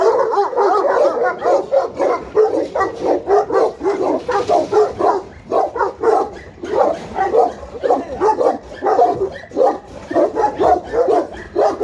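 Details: Guard dogs, Alabai and Tibetan Mastiff, at Pogoanele in Buzău, Romania: rapid rhythmic barks in pulsing bursts, several dogs overlapping, volume swelling and dipping roughly twice a second.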